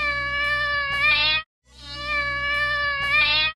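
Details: A domestic cat gives two drawn-out, wailing howls, each swelling and rising slightly at the end; such a howl may signal pain or discomfort. Cat.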